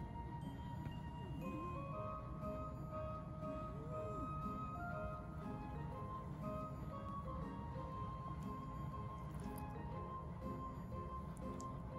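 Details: Soft background music with steady tones and light clinking, a faint murmur of speech underneath; no animal voice stands out.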